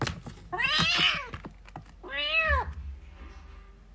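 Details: Playing, fighting kittens give two strained, wavering meows, the first harsh and noisy, the second a clear arched cry, over faint thuds and low room rumble.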